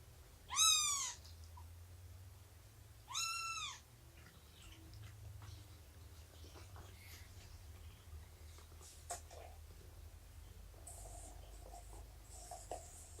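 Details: Morning of 24 September 2017, Shelby, an estimated two-year-old rescued mother cat, during indoor snuggles, nursing and play: two clear, arching meows early on, then quiet room noise with soft rustles.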